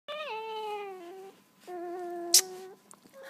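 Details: Two-week-old wolf hybrid puppies that have just opened their eyes, whining indoors: two drawn-out tonal whines, the first starting higher then dropping to a steady hold, the second level and sustained, with a brief sharp click between.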